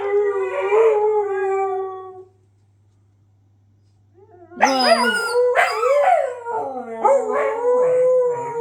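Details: Pet Siberian Huskies indoors, howling in response to their squeaky toy: one long wavering mid-pitched howl lasting two seconds, a pause, then high toy squeaks followed by several overlapping, rising and falling howls from more than one dog.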